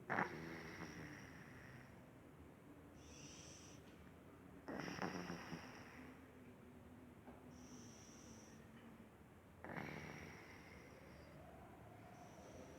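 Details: Paloma, a sleeping cat, snoring: three broad breathy bursts roughly every five seconds, each a rough rasping inhale with a faint steady hum between them.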